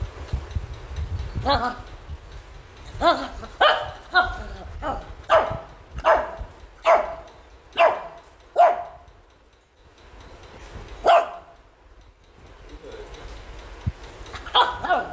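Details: Joy, a Shih Tzu puppy, barks angrily at being combed after a bath: about a dozen sharp, high yapping barks, mostly spaced under a second apart, with a quiet pause midway and faint low rumbling underneath.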